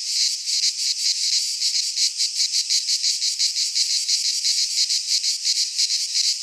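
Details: Cicadas in Greek pine woodland in midsummer, producing a loud rasping buzz that throbs in regular surges roughly every half second, steady from start to end.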